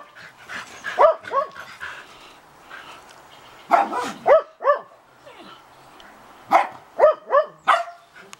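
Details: Two female Shetland Sheepdogs roughhousing in a backyard on a blustery March morning give sharp, high, yappy barks in quick clusters of two to four, separated by short pauses.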